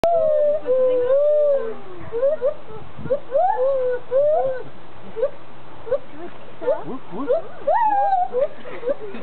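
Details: Two zoo gibbons give loud, tonal hoots that swoop up and down in quick, repeated whoops, performing for a crowd.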